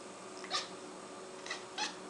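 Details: Blip, a six-month-old pet cat hunting a fly indoors, gives three short high chirping noises, each quick and rising, spaced about a second apart over a steady room hum.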